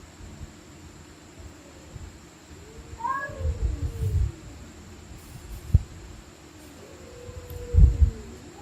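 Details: Stray cats screaming at night during a fight: drawn-out bending yowls with a brief higher rising cry, punctuated by low thuds and clatter, over a constant low electrical hum.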